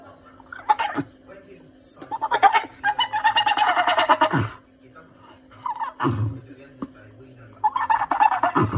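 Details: A female Staffordshire Bull Terrier whines and yips in agitated, goat-like bursts, stressed by the neighbour's cat.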